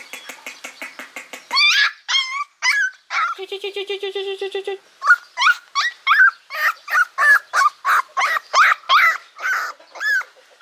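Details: Several hungry puppies cry loudly for food, a dense stream of short arching yelps and squeals, broken by a buzzy harmonic whine, calls coming about three per second.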